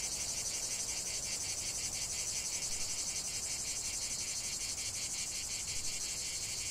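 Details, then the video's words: Cicadas singing in a lavender field: a dense, continuous high buzzing with a fast pulsing rhythm, steady in loudness throughout, over a faint low rumble. "chant de CIGALES au cœur d'un champ de lavande"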